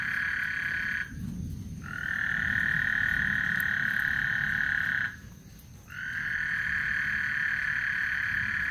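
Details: Frogs singing at Lake Houston before a thunderstorm, with long unbroken pulsing trills broken by two short pauses. Each stretch lasts several seconds at an even pitch over a soft low background hum.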